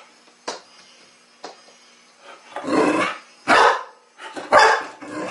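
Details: Sasha, a young Chow Chow puppy, challenges a new mechanical toy ball at home; a few soft clicks give way to three loud, broad puppy barks with a growling edge, spaced about half a second to a second apart.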